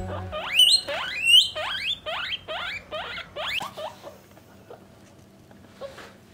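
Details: Pet guinea pigs, a parent and offspring kept in separate cages by sex, give loud rising whistled wheeks in a rapid series that fades toward the end, with brief music at the start.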